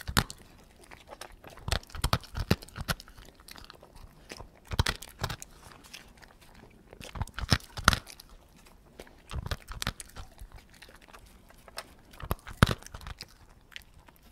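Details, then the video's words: Dog feeding slowly, chewing its food: sharp crunching bites in irregular bursts, clusters of clicks every second or two separated by quieter gaps of soft mouthing. "Hund frisst langsam mit kauen dog feeds slowly with chewing Geräusch"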